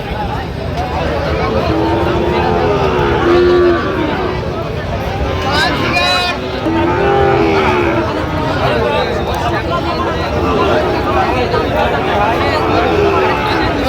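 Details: Sahiwal bull calf at a cattle market in Chattogram, Bangladesh, on 4 September 2025, during a sale. Several brief, low lowing calls come at intervals of a few seconds, half-buried under constant bargaining voices, crowd murmur and occasional clatter.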